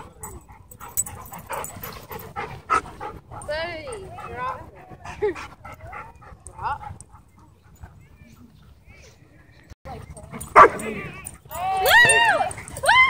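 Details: At a dog park, a pitbull hybrid stalks and then attacks two dogs. High, arching yelps come in short runs, then a quiet gap, and a final burst of sharp, rising-and-falling cries, with voices faint in the background.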